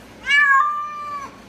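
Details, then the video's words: Domestic cat giving a single drawn-out meow of about one second, harmonic and steady after a quick rise, then trailing off; quiet room otherwise. "Weird Cat Noises Compilation"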